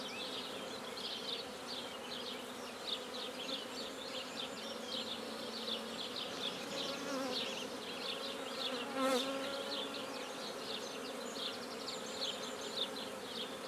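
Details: Black bees around a hive newly started at Guernay in Côtes-du-Nord, France: sustained buzzing of many bees, with wavering whines as individuals fly past and a brief knock near the ninth second.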